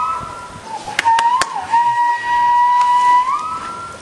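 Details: A male walrus at a dolphinarium in Harderwijk, Netherlands, gives a long, steady whistle on one pitch, rising slightly at the end, in April 2010 during mating season to attract females.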